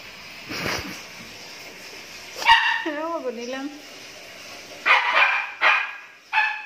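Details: Tricolor Jack Russell Terrier puppies, nine days old, whimpering: a brief run of high, falling whines midway, with scattered sharper noises and nearby human voices.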